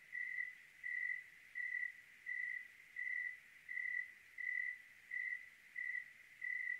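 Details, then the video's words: On a clear night in Oregon a single cricket repeats short, ringing high chirps about every 0.7 seconds, very regular and steady in pitch, against near-silent surroundings. "Oregon clear night with cricket sounds"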